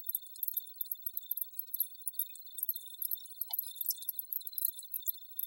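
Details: Cricket chorus, shrill and tinkling: rapid high chirps pile over one another above a constant thin whine, with no pauses and no other sounds.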